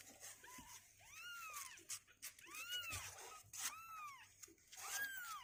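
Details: Two-week-old kittens, healthy with strengthening legs, indoors and restless in their box: high arched meows rising and falling, four distinct cries spaced roughly a second apart, with faint clicks and rustling between them.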